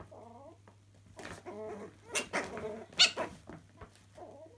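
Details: Playing Chihuahua puppies indoors in a laundry: brief wavering growl-whines at the start and end, with scrabbling, bumping and one sharp yelp in between, over a low steady hum.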